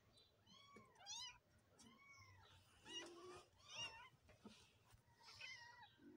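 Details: Kittens mewing indoors: high, thin arched meows repeated about once a second, several overlapping voices with rising and falling contours, over a faint low hum.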